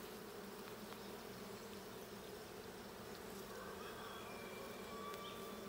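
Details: Honey bees at the blue hive during a hive check on 20 June 2022: a dense, steady buzzing hum, strongest in the low-mid range, with faint high thin tones drifting in near the end.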